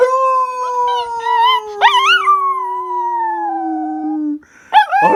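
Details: Howling pup: a smooth, drawn-out tone slowly falling in pitch while a higher, wavering yelping voice rises and dips over it, followed by a short pause and another abrupt, rising yelp.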